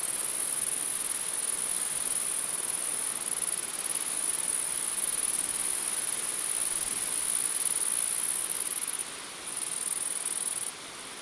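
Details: Many grasshoppers at night: a continuous, very high, hissing buzz that holds steady for about nine seconds, then drops briefly in loudness twice near the end, with a faint noisy background.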